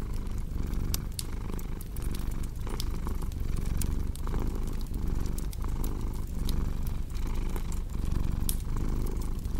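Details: Domestic cat purring, low and rumbling, in steady pulses under a second apart, mixed with the sharp pops and clicks of a crackling fireplace, indoors for relaxation and sleep.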